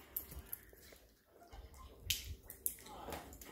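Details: Quiet indoor room with scattered clicks, snaps and soft handling noises, no animal vocalisation heard.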